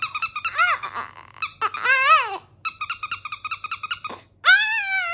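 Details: Cedric the Chihuahua howling his ducky towel love song inside a small room: trains of quick high-pitched squeaky yips broken by long wavering arched howls, ending on a sustained rising howl.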